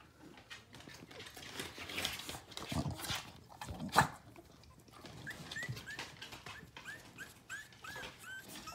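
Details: Pile of puppies indoors in June, giving soft whimpers and a sharp yelp near the middle, then a run of short rising squeaky whines in quick succession, with rustling and movement throughout.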